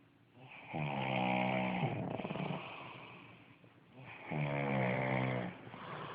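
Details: Sleeping pug Tommy Tantrum gives two deep, vibrating snores about three seconds apart, each a harsh buzzy inhale trailing into a quieter breath.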